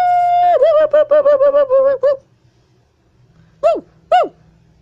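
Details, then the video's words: A siamang hanging and swinging on a wire holds a hooting note, breaks into a quick run of barking hoots, then gives two short whoops. "Siamang Ape Is Hanging And Swinging While Howling"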